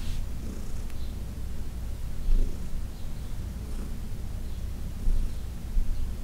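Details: Senior cat Heidi, once arthritic and uncomfortable, purrs under massage; a low steady rumbling purr with a couple of louder swells and faint rustles.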